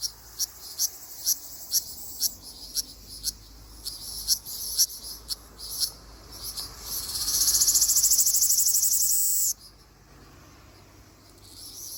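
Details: Ryukyu large brown cicada singing in a forest in Okinawa in mid-June. A run of short, evenly spaced high clicks swells into a loud, continuous, sizzling buzz that lasts about three seconds and then stops abruptly.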